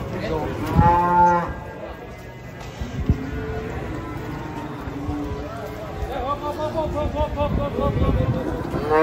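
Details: Giant fat cows coming down off a truck during unloading: a short lowing call near the start, then a longer wavering moo toward the end, over constant rumbling noise and faint chatter.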